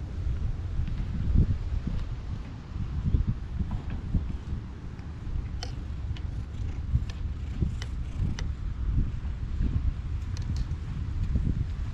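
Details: Low rumbling wind and microphone buffeting fill the recording, broken by a few faint clicks and taps, with no animal voice.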